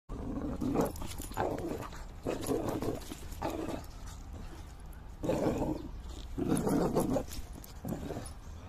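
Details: Whippet playing rough, called a bully dog: a string of low throaty growls and snarling roars in uneven bursts over several seconds, with rustling movement between them.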